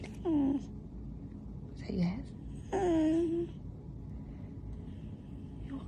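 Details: Pet dog 'talking' in a humorous compilation: three separate short whining moans, each sliding downward in pitch, with quiet gaps and low background hum between them.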